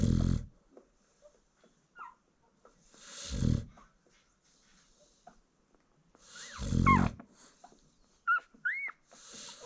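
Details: Sleeping American Bully mom nursing a newborn litter gives three low, rasping snores about three seconds apart, while thin rising puppy squeals break in between them.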